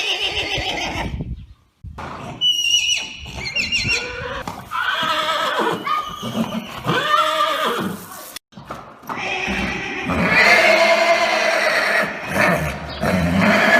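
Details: Arabian horses calling in a busy mix of whinnies. A high quavering neigh comes early, followed by lower rising-and-falling calls. Hoof clatter and other noise run throughout.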